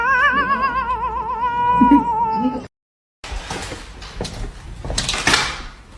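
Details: A cat that jumps and misses gives a long wavering yowl with steady vibrato lasting over two seconds, then after a brief silence comes rustling and thumping noise.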